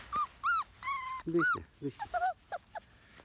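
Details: Field-type Labrador Retriever puppies, 31 days old, running on grass, give a string of high whiny whimpers and short yelps, some bending up and down in pitch, several pups calling in quick irregular succession.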